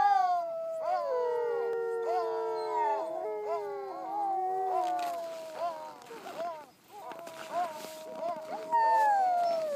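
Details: Several Siberian huskies howl together in long, overlapping, wavering tones that slide up and down, in La Plagne.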